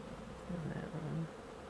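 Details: Honey bees flying at a hive on March 28, 2013, while being given soy flour as a pollen substitute, with the hive described as flying well. A low, wavering buzz passes over a steady background hum.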